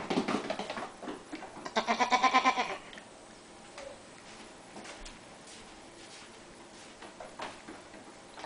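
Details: Goat kid, Cuddles or Puddles, dressed in a matching sweater indoors, lets out a short bleat, then a pulsing quavering bleat about a second long; quiet room afterwards with faint taps and soft rustling.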